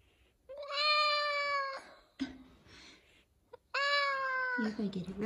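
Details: F2 Savannah cat indoors in the morning, meowing for chicken leftovers; two long, steady, harmonic-rich meows about a second each, separated by a pause, with a person's voice and faint background noise between them.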